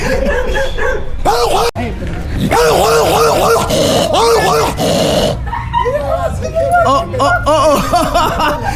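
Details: Excited dog giving a run of rising-and-falling whining yelps, several in quick succession, then shorter higher yips; people talk in Spanish over it and laugh.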